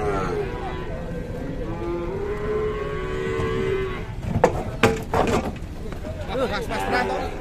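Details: Aggressive cow just arrived from a cattle workshop in Indonesia: a long, low, steady moo during the first four seconds, then sharp clattering knocks and scattered noises.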